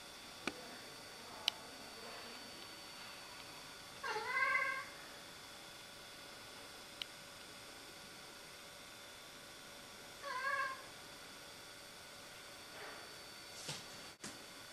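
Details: Siamese cat at home reacting to a rook in a tree over the road: two drawn-out wavering meows about six seconds apart, with a fainter call later, occasional clicks and a knock, steady low hum throughout.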